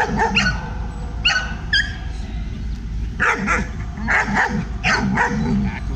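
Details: Aggressive German Shepherd with hackles up during training, barking in short harsh bursts, a few sharp yips early then a rapid run of loud barks about every half second, with a low steady background rumble.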